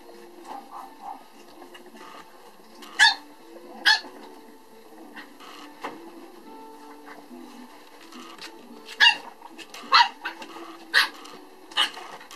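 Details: French Bulldog at a breeding kennel giving about six sharp, abrupt barks, isolated and spaced a second or more apart, the first pair early and the rest clustered later, over steady background music.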